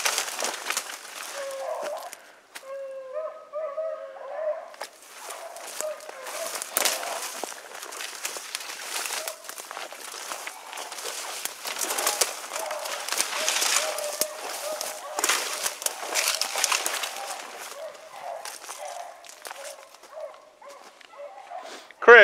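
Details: On an evening rabbit hunt, 3 February 2018, a beagle puppy bays on the trail with drawn-out, wavering howls amid rustling brush and shouting hunters.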